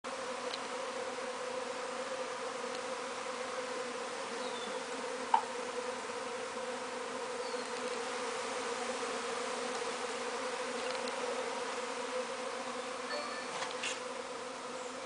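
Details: Swarm of bees buzzing just outside a window: a steady, dense hum of many wings layered in low bands, continuous throughout, with a single sharp tap near the middle and a few faint higher ticks.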